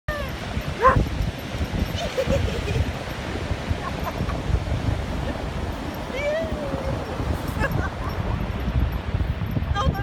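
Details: A Vizsla whines in high, wavering, drawn-out tones, seeking affection and wanting a hug.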